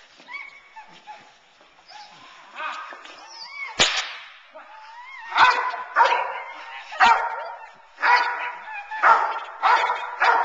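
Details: Teal, a nine-month-old Boerboel bitch in protection training, frustrated off the sleeve to keep her focused on the man and build intensity: loud harmonic barks come in a run about once a second, with sharp whip cracks and some whining.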